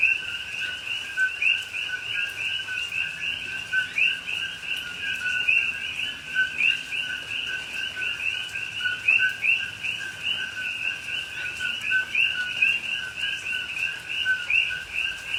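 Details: Night chorus of coqui frogs in rainy Hawaiian rainforest at Pahoa, recorded October 2021; many frogs give rapid, overlapping rising two-part chirps in a continuous high band, with gentle rain patter beneath.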